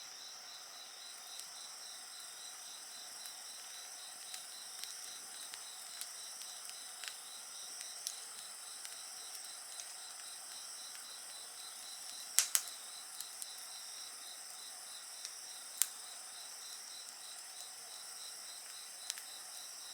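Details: Insects sing in a steady night chorus beside a bonfire: a high pulsed trill beaded evenly throughout, layered over continuous shrill tones, with sharp crackles and pops from the fire breaking in irregularly.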